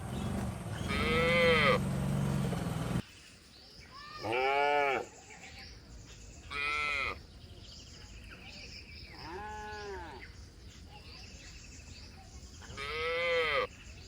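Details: Cattle herded through forest toward their shed, jumping happily, give a run of five arched, harmonic moos, each under a second and spaced one to two seconds apart, the first louder and longer, over a faint background hiss.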